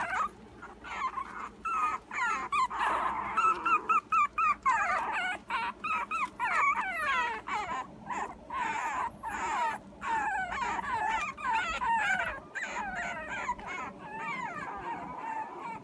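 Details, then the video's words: Puppy's morning whining song: continuous high, wavering whines and squeaky yelps, each sliding up and down, packed closely together with brief gaps, steady in loudness throughout. "morming puppy song"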